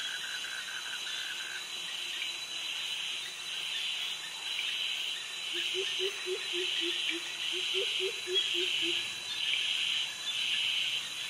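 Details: Cicadas calling in tropical jungle near mangroves in Krabi, Thailand, alongside crickets: a shrill buzzing band pulses roughly once a second over a steady high ringing drone, with a short run of low chirping notes midway.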